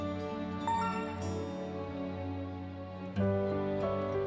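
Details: Soft, sustained instrumental music with gentle tones and no animal sounds.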